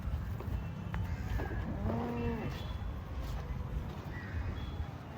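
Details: Holstein Friesian cow on a farm in India gives a short moo with a rising then level tone around the two-second mark, over steady low rumbling background noise and faint music.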